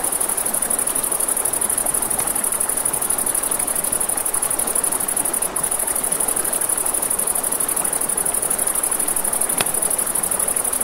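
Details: Crickets at night near a river, their thin high trill running steadily from start to end, beneath it a constant water rush and a few loud fire pops.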